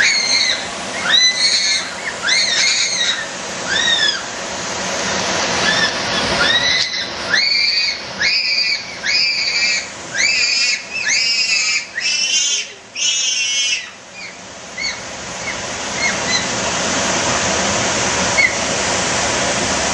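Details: Bonobos eating frozen treats: a series of shrill, wavering, harmonic squeals and hoots about once a second, denser in the middle stretch, then fading into a constant rushing, water-like background.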